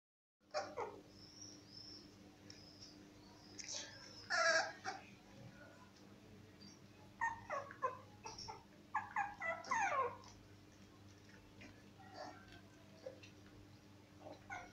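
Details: Cocker Spaniel puppies offered for adoption at a veterinary clinic in Murcia, Spain: scattered high, thin whines and squeaky cries in uneven bursts, busiest midway, with a faint steady hum beneath.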